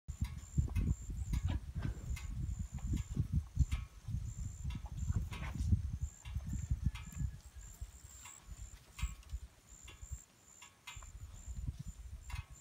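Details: Hereford and Angus bulls talking in deep, rumbling grunts. The low sound comes in dense, repeated bursts through most of the stretch and eases toward the end, with scattered sharp clicks and a faint steady high tone above.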